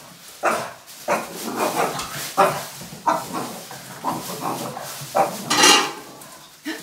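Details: Angry Boston Terrier barking at a trash bag: a steady run of sharp, rough barks roughly every half second to a second, with one brighter, more strained bark near the end.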